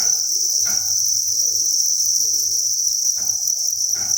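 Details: Crickets at a cricket farm, thousands of them in a breeding facility, keep up a constant high-pitched chirping drone, broken by a few sharp tapping clicks near the start and again toward the end.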